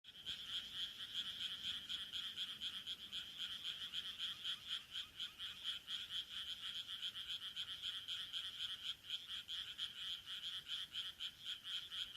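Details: Frogs calling from a rice paddy in Taihaku Ward, Sendai, Japan, in late June 2023: a dense, steady chorus of rapid, high-pitched pulsed croaks, about four per second, overlapping continuously throughout.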